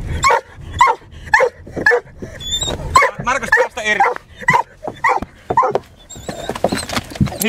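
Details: Hunting dog on a hare chase, the hare still running ahead of the car; steady yelping barks come about twice per second, mixed with Finnish speech and vehicle noise.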